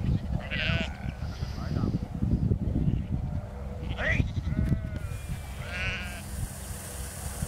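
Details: Sheep herded in the field by the border collie Lars: several quavering bleats rise and fall in turn, the last ones overlapping, against a heavy low rumble of wind and handling noise.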